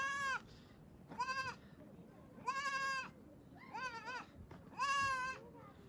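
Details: Sheep bleating five times over about six seconds, each call short, quavering and nasal, spaced roughly a second apart, some with a slightly rising or bending tone, against a steady low background hum.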